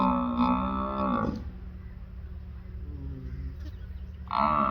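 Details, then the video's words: Buffalo on a farm giving a rich, harmonic bellow that ends abruptly after about a second, then a quieter stretch of low rumble before another loud call begins. "Buffalo Sounds"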